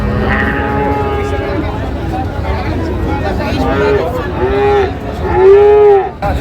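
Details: Friesian and cross-breed bull calves at Ambari cattle market, Dinajpur, on 23 July 2025: a long, steady, loud moo rises out of busy market chatter near the end, following fainter lowing, amid crowd voices and traffic noise.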